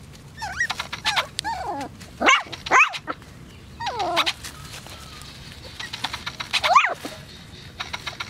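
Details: AKC Poodles giving high, swooping whines and yelps in several bursts, some pitched sharply upward, with short gaps of quiet between and a faint background hum.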